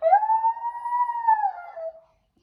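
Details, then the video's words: A full-grown Pomsky makes weird noises while biting. A single sustained, siren-like whine holds a steady mid pitch for about two seconds, swelling slightly before sliding down and fading, with a quiet room behind it. "Full Grown Pomsky makes weird noises and bites"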